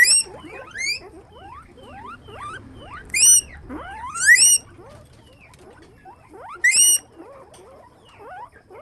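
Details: Guinea pigs kept in a farm cage, several calling together; sharp upward-sweeping squeaks climb into shrill high wheeks in irregular bursts, backed by a busy layer of softer rising chirps.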